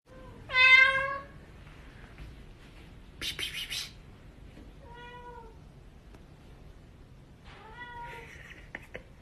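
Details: Cat caught on a CCTV camera, giving three clear, tonal meows: a loud, drawn-out one at the start, a shorter softer one midway and a wavering one near the end. A brief burst of hissy noise sounds between them.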